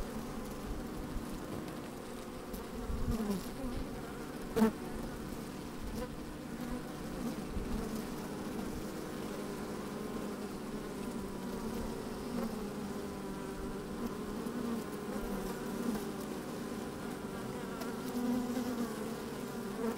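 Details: Honey bees busy at work inside an opened hive on a fine, sunny day, microphone slid down among them: a steady layered hum with low droning bands, the odd louder buzz near four and a half seconds, a little wind.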